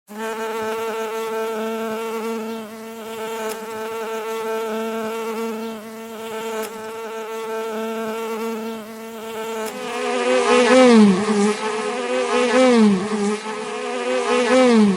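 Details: Real bee buzzing with a steady, droning hum for about ten seconds. The buzz then grows louder and rises and falls in pitch as the insect moves close.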